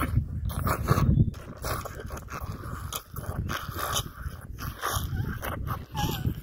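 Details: Young male rhino calf drinking his milk, due to be weaned at the end of September; continuous low, wet slurping and gulping, dense and irregular throughout, with brief squeaky tones near the end.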